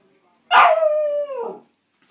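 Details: Clumber Spaniel puppy letting out a single drawn-out howl lasting about a second, starting loud and harsh, then holding a steady tone that slides downward as it fades, in an otherwise quiet room.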